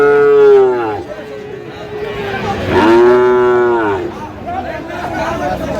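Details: Sahiwal bull calves at a livestock market in Munshiganj, Bangladesh, on 9 August 2025: two drawn-out moos about two and a half seconds apart, the second rising and richer, with crowd chatter and market noise between.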